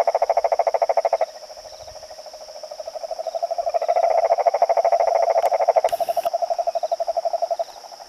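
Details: Male yellow cururu toad calling from inside a pond in São Joaquim National Park, Orleans, Santa Catarina, on 22 September 2017 at 19:42: a long, fast, even pulsed trill, pausing briefly and then resuming, over a steady high insect hum.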